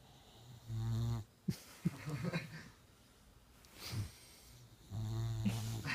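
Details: Boxer puppy named Dakota asleep with eyes wide open, snoring in low rumbling bursts, two long droning snores framing softer breaths, with people talking quietly in between.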